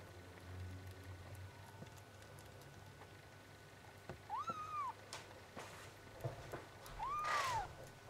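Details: Bengal kittens four days old giving two short arched mews, spaced about three seconds apart, over a quiet indoor background with faint rustling.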